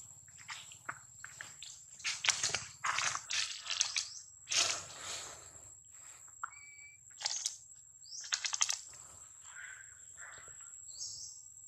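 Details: Baby monkey Daniela, taken from her mother Dana by another monkey, cries loudly for her mother: harsh, broadband screaming bursts in quick runs, with thin high rising squeals between them and a steady high whine throughout.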